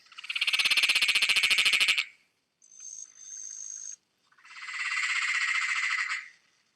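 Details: Peron's tree frog (Litoria peronii), the "mad laughing frog", from Whittlesea, gives a very loud, distinctive call of rapid, rattling cackles in repeated bursts, like manic laughter.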